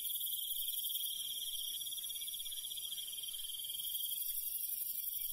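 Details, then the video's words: Rural night insects with crickets: a steady high pulsing trill layered under a loud, sizzling very high insect hiss, with soft low rumbling in the background. "시골 밤벌레 소리, 귀뚜라미 소리"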